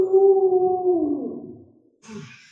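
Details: Pet Alaskan Malamute named Lolo, at home with the small child it is fond of and lets ride on its back, gives a single smooth howl that holds steady, then slides downward and fades over about a second and a half, followed by brief rustling.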